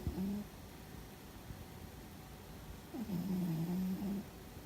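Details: Sleeping cat named Fuzzy giving a loud snore: a short low tone, then a longer wavering drone lasting over a second after a quiet pause, heard in a small indoor room.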